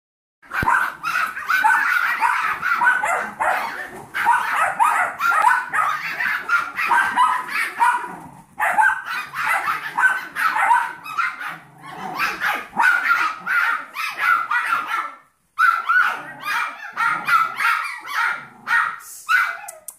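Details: Seven-week-old Yorkshire Terrier foster puppies with their mother and a 15-week-old Golden Retriever mix foster puppy, playing indoors; shrill high yips and squeaky barks pour out almost nonstop in overlapping bursts, with brief pauses near eight and fifteen seconds.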